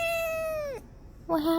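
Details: A domestic cat gives a long, steady, clear meow that sags in pitch at the end, followed after a short pause by the start of a second, lower meow.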